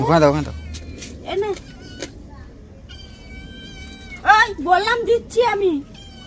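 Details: A cat being bathed, upset and angry, yowls loudly at the start, gives a short meow, then after a pause lets out three strong, falling, complaining meows in quick succession, with people talking nearby.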